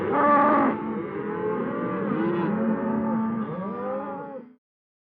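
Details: Cow giving a single long, drawn-out moo lasting about four and a half seconds. It is loudest and richest at the start, then wavers and bends in pitch as a rough, throaty low tone before stopping abruptly. No other sounds are heard.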